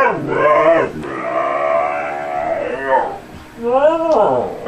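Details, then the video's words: Tundra, a husky, talking back to its owner, who asks whether it wants to go outside: long, drawn-out, harmonic yowling that rises and falls in arches, three connected phrases with a rising final note. "TUNDRA AND DAD TALKING HUSKY"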